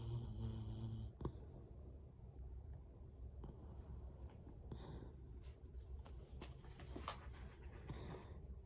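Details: Small female dog with a fresh haircut, asleep and dreaming while lying beside her owner indoors, snoring softly: low, rumbling breathy snores run steadily through the recording, with occasional faint clicks and rustling from movement.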